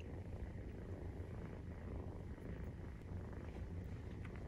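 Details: Maine Coon cats purring while kittens 43 days old nurse; a short, steady low rumble with a soft background hum.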